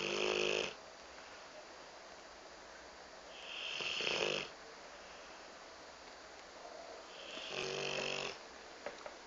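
A sleeping Rottweiler snores with harsh, rattling breaths that swell and fade. Each buzzy snort lasts about a second, with quiet pauses of roughly three seconds between them.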